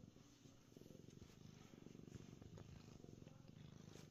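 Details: Happy domestic cat on a cool concrete basement floor, purring in a low, evenly pulsed rumble that keeps an unbroken rhythm throughout, with small clicks and rustles over the top.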